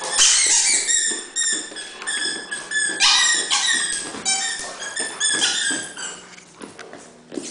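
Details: Playful Dobermann indoors producing a steady stream of high-pitched squeaky whines, each note short and bright, often rising or falling slightly, delivered in quick clustered bursts with barely any silence between them.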